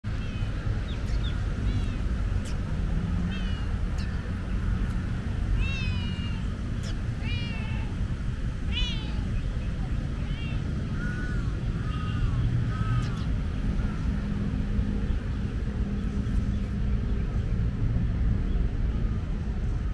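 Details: Friendly tortoiseshell street cat with beautiful eyes, enjoying petting and scratches under her chin outdoors in an urban spot; soft harmonic meows with wavering pitch come in scattered bursts over steady low background rumble.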